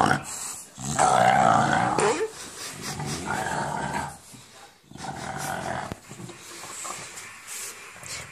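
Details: An English Bulldog makes a "monster sound," rough, rumbling growls in bursts, while playing with a tennis ball, with a person's voice alongside.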